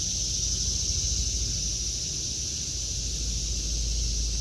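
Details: Cicadas buzzing in a vegetable garden in August 2023, one constant high sizzling tone without breaks, backed by a deep rumbling hum.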